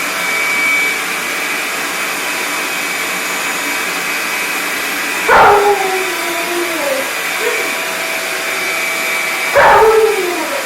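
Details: A female Alaskan Malamute named Sojou confronts a big, noisy shop vacuum, giving two short woo-like howls with falling pitch several seconds apart over the steady drone of the vacuum cleaner.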